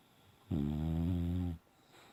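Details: Sleeping and dreaming, Bella the Boxer gives a single deep, throaty snore lasting about a second, steady and rasping, framed by near silence inside a small room.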